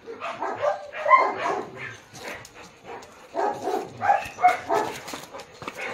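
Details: Barking from a Japanese Akita during a shoot in Baguio City, October 21, 2023: uneven clusters of short rough barks separated by gaps, set against a noisy outdoor background with clicks.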